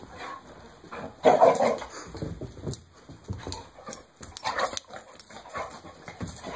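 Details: Domestic dog playing indoors, shaking a Kong rubber bone toy; one short loud harmonic vocal burst early on, then scuffling, thumping and rattling toy noises with quieter intermittent dog sounds.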